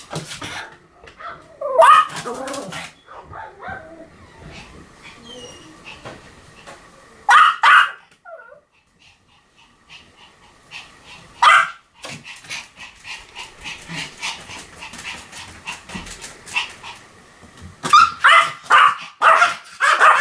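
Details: Pomeranian barking in scattered short bursts separated by quiet stretches, with a faint steady tonal hum running underneath for much of the recording.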